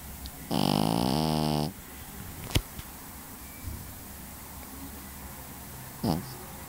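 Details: Pekingese dog snoring: one loud, rich, rasping snore lasting about a second, followed by a sharp click, quiet breathing and a short, softer snort near the end.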